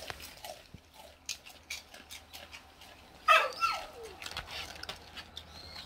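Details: Jindo father and daughter, Geumdong and Janggeum, waiting outside the door for dried pollock skin snacks in a rural seaside village in Gochang, Korea; a short falling whine rises amid scattered clicks and soft rustling.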